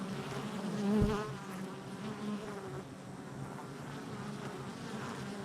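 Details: Honey bees around the hive entrance, July 22nd, 2024: one bee buzzes loudly close by at about one second over the constant background drone of the colony's wings.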